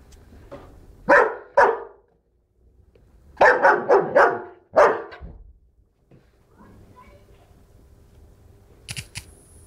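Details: Barking from a black German Shepherd Dog: a pair of strong barks, a short gap, then a rapid run of four forceful barks and one more, fading into low background hum with faint voices.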